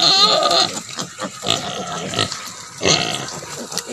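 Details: Native pig sow with piglets on a farm, raised for natural mothering: a brief, harmonic squeal opens, followed by clipped grunts and a second sharp squeal near the end, over background hiss.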